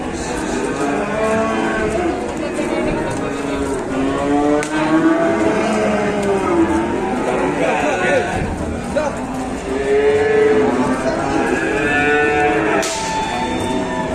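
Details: Raging, out-of-control cattle from an Indonesian cattle-farming setting, bellowing in a long run of overlapping harmonic moos that rise and fall, with brief breaks, under a busy background.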